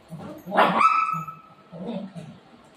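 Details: A single sharp bark from one of two family pet dogs, Buzo and Milo, a golden retriever and a shih tzu, squabbling over their mummy; the bark rings with a short tonal tail, with quiet human talk before and after.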